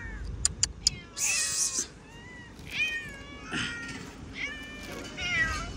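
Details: Several domestic cats meow while food is handed out to them, one with an infected eye from a scratch; clicks open, then bright, rising-and-falling harmonic meows overlap, with a man speaking Hindi nearby.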